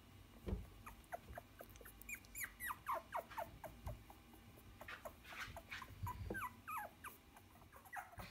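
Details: Puppies, followed from birth to ten weeks old, several squeaking and whining together in thin, high, fast, overlapping cries that rise and fall, with soft low thumps and a steady background hiss.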